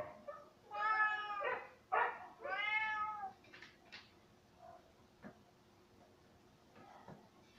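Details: Cay, a pet cat playfully called a naughty little mountain lion, gives several clear harmonic meows in quick succession early on, some drawn out and wavering, then fades to quiet room tone with a few soft clicks.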